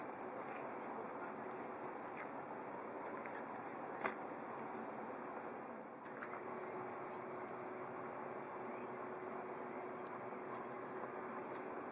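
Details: Only a quiet indoor hiss is heard, with a few soft clicks and taps scattered through it and no meowing or other animal voice.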